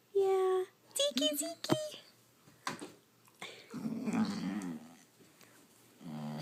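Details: Zeke, a Basset Hound, vocalising: a steady high whine opens, followed by short moaning bursts that rise and fall, then a wavering low grumbling growl and a final low moan, with a person speaking softly in between.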